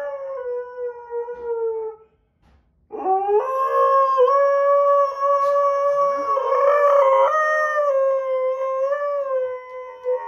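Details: Sasha the Husky-Malamute howls his displeasure while Kat the Husky and Paco the Doberman play; one howl fades out, a short silence follows, then a long sustained note swoops up and holds, wavering, with a small pitch jump late on.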